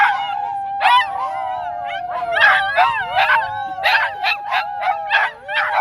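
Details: A group of dogs at Dunedin's dog park howls in chorus, coached by a person. A long level howl slides down and is joined by a tangle of higher yips and quavering howls.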